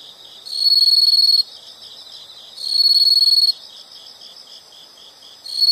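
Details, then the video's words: Nature sound of insects, a loud shrill trill switching on for about a second at a time every two seconds, with a fainter rhythmic chirping chorus continuing between bursts. "the sound of insects"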